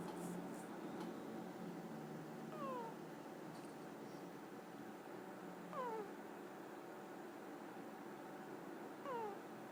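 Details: A sleeping pet ferret snoring in a quiet room, each breath giving a thin, squeaky, falling whistle with faint overtones, repeated about every three seconds over a steady low hum.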